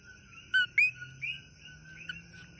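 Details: At night in Kona, Hawaii, a common coqui (Eleutherodactylus coqui) sings its loud two-note 'co-QUI', a short whistle followed by a rising chirp.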